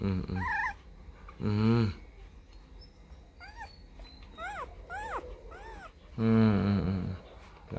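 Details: Newborn Rottweiler litter, four days old, sired by Vietnamese champion Loki Gervi out of Faye: a series of arched, high squeaks rising and dropping in quick succession, between deeper, drawn-out harmonic cries at the start and end.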